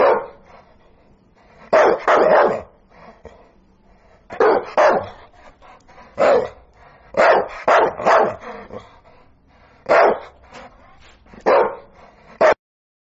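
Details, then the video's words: Archie the sprocker spaniel lets out sharp barks, often in doubles, separated by pauses of one to two seconds, over a low steady background hum. "Dog Barking sound 5 minits photos and videos of sprocker Archie"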